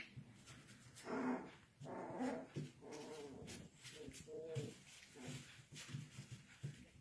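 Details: Pepper-and-salt miniature schnauzer puppies from one litter playing indoors: short harmonic yips and play growls in uneven bursts, with scuffling between them.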